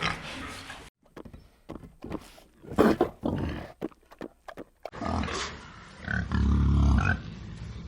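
Wild boar giving a run of short, deep, rough grunts in quick irregular bursts, ending in a longer, louder snorting growl.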